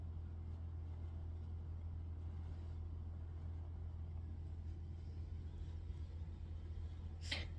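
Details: Steady low electrical or engine hum fills a small room, with a brief sharp scrape near the end and no audible animal calls.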